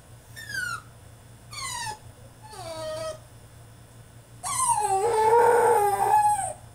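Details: French Bulldog throwing a tantrum in his cage: three falling whines about a second apart, then a long, wavering howl-like cry lasting about two seconds, indoors.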